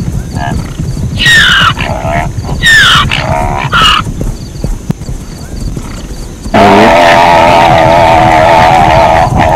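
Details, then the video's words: Zebra giving three loud, strained honking barks that sweep downward, then a long steady droning sound takes over for the rest of the recording, with low background rumble throughout. "เสียงม้าลาย เสียงม้าลายร้อง | Zebra Sound"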